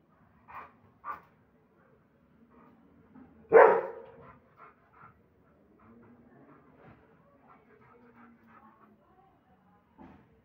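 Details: A German Shepherd barking aggressively: two short yelps, then one loud, coarse bark, with softer low rumbling sounds and scattered quiet noises afterward.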